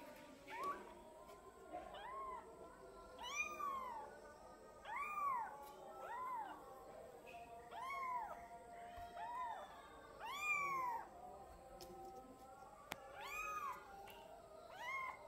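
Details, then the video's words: Twelve-day-old kitten meowing repeatedly: a long series of short arched mews, some paired with higher overtones, coming roughly every second for fifteen seconds, with a faint constant hum and an occasional click. "Anak kucing meong meong hari ke 12"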